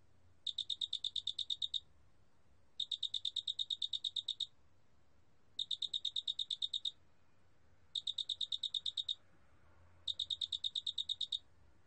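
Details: Large spotted cricket singing in a 2020 recording: five evenly spaced bursts of fast, metallic pulses, each chirp just over a second long, repeating steadily with short silences and faint low hum.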